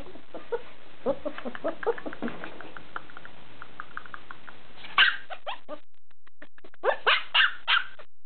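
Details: Bernese Mountain Dog puppy yelping: soft ticking and tapping fills the first five seconds, then a loud burst of short, high, harmonic yelps near five seconds, a brief quiet pause, and a cluster of four sharp yelps around seven seconds.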